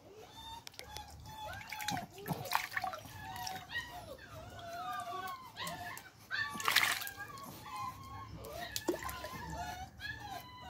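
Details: During a swimming lesson a Beagle puppy keeps up high, wavering whines and yelps, broken by sharp splashes and sloshing water as it paddles.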